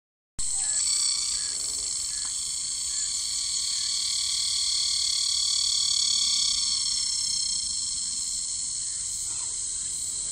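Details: A summer cicada recorded close-up on tree bark drones in a loud, steady, high-pitched buzz that holds without a break throughout.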